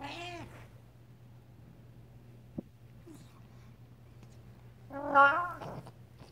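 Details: Talking Devon Rex cat giving two short, harmonic meows, one at the start and a louder, wavering one about five seconds later, separated by quiet with a faint, steady low hum throughout.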